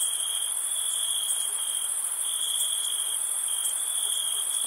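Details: Crickets trill steadily in a dense, high-pitched chorus with a continuous shimmering drone on a summer night.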